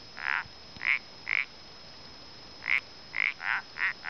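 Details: Common parsley frog calling at Gotarta, El Pont de Suert: short nasal croaks, each about a fifth of a second, given in irregular series with a gap in the middle; quiet background.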